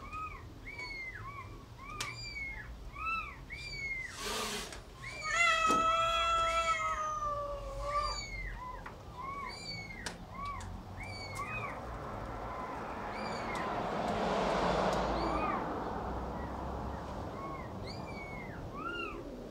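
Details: Cat and kitten during feeding: many brief, high, arched mews come in rapid series, interrupted by a few longer meows. A burst of broad rustling noise follows midway.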